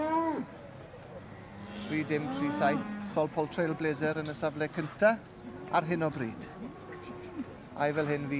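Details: At a show, a senior Hereford bull lets out a steady, flat low moo lasting about a second, amid choppy voices and chatter from the surrounding crowd.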